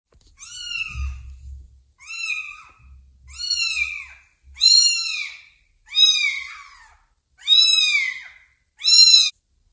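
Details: Kittens meeting a newly adopted ginger kitten indoors give high, arched meows, seven clear calls roughly every 1.3 seconds, each bright and harmonic-rich, with a brief low thump near the start.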